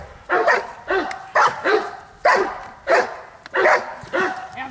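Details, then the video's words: Bayuma, a Blackmoore Giant Schnauzer, barks repeatedly in paired bursts, roughly two sharp woofs every second, with some echo behind them. "Blackmoore Giant schnauzer"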